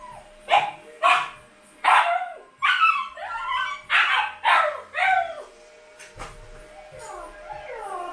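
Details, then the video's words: Husky puppies home by themselves give a rapid series of whining yelps and half-howls, around ten in quick succession, then trailing, falling whimpers near the end. "When husky puppies are home alone!"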